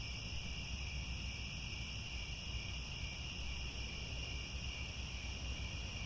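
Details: Crickets chirping in grasslands near Angkor Wat, Cambodia, at sunset: a dense, steady high-pitched trill with several continuous bands, unbroken throughout, over a low rumbling background.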